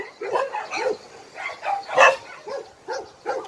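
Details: Barking at Hanna's shelter, a rescue shelter for abandoned dogs in Daegu, South Korea: short, arched barks repeat roughly every half second, with one harsher, louder burst in the middle.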